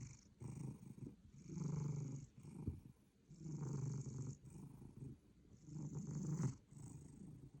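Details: A cat asleep and snoring very hard, slow deep rasping inhalations about every two to three seconds, rumbling low with quieter breathing between them.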